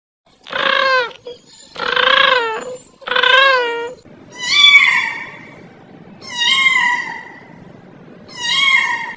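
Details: Domestic cat meowing loudly indoors in a funny home scene: six long, wailing harmonic meows, each about a second long, some rising then falling, repeated roughly every one and a half seconds with short quiet gaps.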